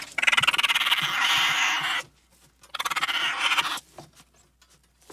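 A raccoon gives two harsh, raspy bursts that start as rapid chittering and turn into a grating screech.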